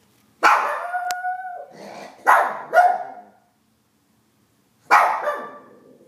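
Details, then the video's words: Shih Tzu howling: loud yelping onsets that stretch into steady tonal wails, with a sustained mid-pitched note near the start, two shorter bursts in the middle and a final falling howl after a silent gap. "Shih Tzu: howling"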